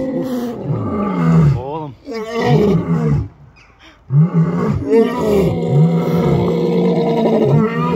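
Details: Lions roaring: deep, groaning roars with strong low tones, repeated in overlapping bouts with a brief pause near the middle; some voice-like sounds mixed in.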